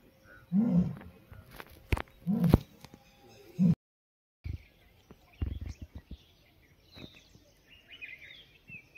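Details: Asiatic lions seen on safari in the Gir jungle, one giving low grunting roars: three deep throaty bursts in the first four seconds, then quieter clicks, thumps and faint vehicle or human sounds.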